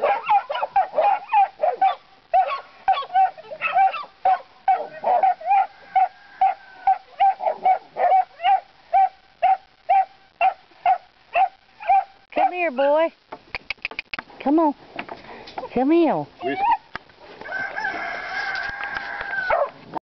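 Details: Three puppies, Whiskey, Queenie and Princess, baying at pigs as they start on hog work: a long steady series of sharp barks about two per second, then high rising-and-falling yelps and whines near the end.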